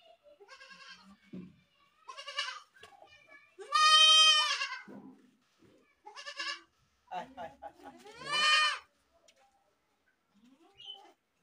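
A goat gives two loud, harsh, wavering screams about four seconds apart, with quieter bleats and murmurs between.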